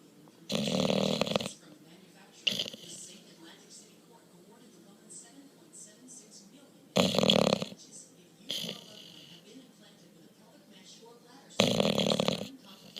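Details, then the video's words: Bulldog asleep and snoring heavily, three loud grating snores roughly every five seconds, each followed by a softer snorting breath, in a quiet room. "45 amazing seconds of Bulldog Hendrix snoring."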